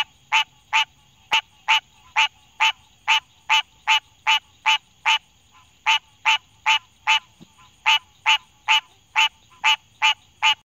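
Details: Close-up of a green tree frog (Hyla cinerea) giving its advertisement call in Denton, Texas, in 2018: loud, nasal, honking quonk notes repeated steadily, about two or three each second.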